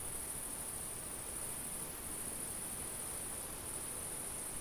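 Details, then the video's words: Summer field crickets keep up a continuous shrill trill at one even pitch. Soft low wind noise fills the background without a break. "Summer field ambience-cricket, insect and light wind sounds"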